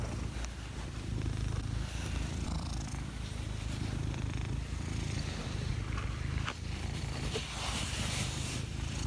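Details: Purring house cat beneath a table: a constant low buzzing rumble pulsing gently in rhythm with its breathing, with faint background hiss and a couple of small taps.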